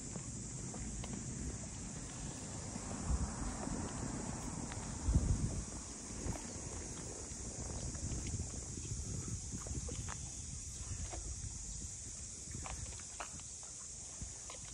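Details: Continuous shrill cicada drone over the traditional boathouse district of Ine, north of Kyoto, holding an even pitch throughout. Low wind or engine rumble and a brief thump mid-way sit underneath.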